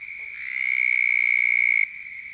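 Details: Toads (Bufo) calling on the banks of a pond on a warm late-April spring night in South Carolina give a long, steady, high musical trill that swells, holds, then stops abruptly.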